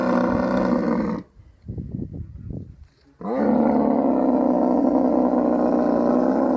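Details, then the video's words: Rutting camel in the Thar Desert of Sindh, Pakistan, mating season: a loud rasping roar, a pause with soft broken gurgles, then another sustained, harsh, bubbling roar lasting over three seconds. "Camel Mating | Mating Season | Camel Natural Proses | Camel Sound Effect"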